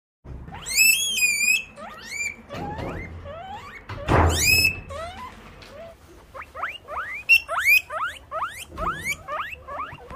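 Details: Guinea pig calling in a series of shrill, rising whistled squeals, some long and wavering, others short upward sweeps in quick bursts, with a few soft thumps and rustles between them.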